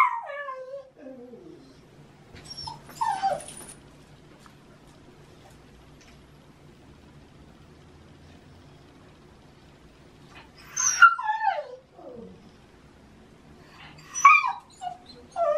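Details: Shiba Inu dog in the autumn mating season, vocalising early in the morning to demand a walk: long descending whines sliding from high to low pitch, with short yelping cries in between, separated by quiet pauses.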